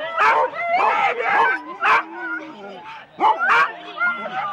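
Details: Four-dog Husky teams barking excitedly at a sled race start, Rendlesham, January 2016; loud bursts of barks about every second alternate with high wavering whines and yelps, with people talking in the background.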